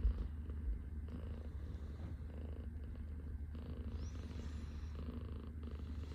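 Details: Indoors in the morning, a Scottish Fold cat lies on a person's arm, purring continuously. The purr is low and even, with a regular pulsing rhythm and no other clear sounds.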